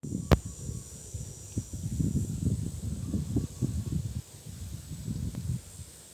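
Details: Nubian goat kids snoring after playing, a low, breathy, rasping sound in quick uneven pulses running throughout, with one sharp click early on.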